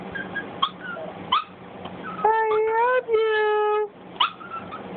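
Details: Cj, a baby Boston Terrier, vocalizing at its owner. One drawn-out whine of nearly two seconds, rising slightly then easing down in pitch, with a few soft clicks and shuffling noises before and after.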